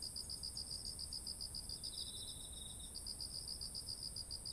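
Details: Autumn insects beside ripe, heavy rice fields in Japan, recorded on a ZOOM H1essential: rapid high pulsed chirps repeating steadily, a second fainter trilling caller joining midway, over a constant very high shrill band and soft low rumble.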